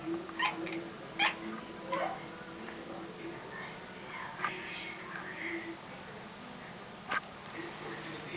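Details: Pet female cat making bark-like calls, apparently directed at a bird: three short, clipped, harmonic chirps in the first two seconds, then fainter scattered calls and a sharp click near seven seconds over a steady low hum.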